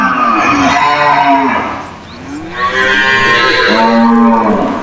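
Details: Cows in a cage calling back and forth: two loud, rough moos, the second longer and rising before it fades.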